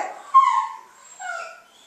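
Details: Female Basenji during food-refusal "leave it" training. Two tonal, whining calls: the first rises and then slides downward, and after a brief pause the second, softer one falls in pitch.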